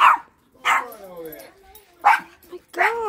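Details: Domestic dogs barking repeatedly while their owner tells them to stop: four abrupt barks spread over three seconds, mixed with a person's exclaiming voice.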